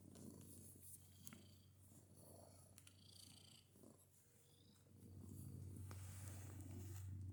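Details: A pet cat purrs with strange extra noises: continuous deep throbbing purr, rhythmic and fairly even, growing louder and fuller in the last two seconds, with faint rustling in the background.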